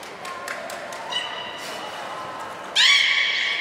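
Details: Training session with belugas Gray, Nana and Niko at Port of Nagoya Public Aquarium on 10 March 2019: soft pulsed clicks and murmurs, then a loud, rising, richly harmonic squeal resembling a horse's whinny, held to the end.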